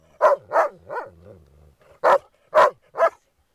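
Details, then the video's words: Groenendael dogs at play with resource guarding over a ball: six sharp, loud barks in two bursts, with a faint low rumbling between them and a woman speaking French softly. "dog resource guarding play groenendaels"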